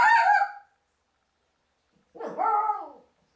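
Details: Cairn Terrier puppy at play, fighting an orange: two short, tonal, whining yelps separated by about a second and a half of silence, the first higher and sliding down, the second arched and slightly lower.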